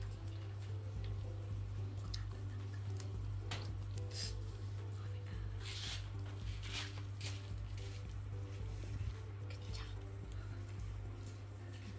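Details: Soft music with a low steady hum plays over scattered clicks and wet dripping sounds, with no animal voice heard.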